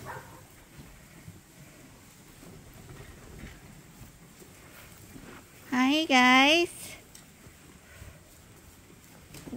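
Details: A lamb being bottle fed at Ewetopia Farms lets out one loud, wavering bleat broken into two pulses, standing out against a quiet background.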